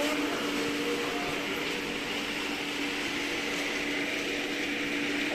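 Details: Steady broadband hum and hiss with a faint tonal drone; no animal sounds.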